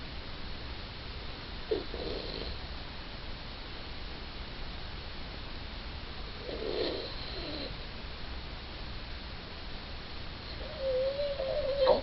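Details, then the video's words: Suzette, a small female Yorkshire Terrier, sleeping and snoring: soft breathy snorts around two and seven seconds, then a longer whistling nasal whine near the end over a steady low hum. "Suzette Snoring"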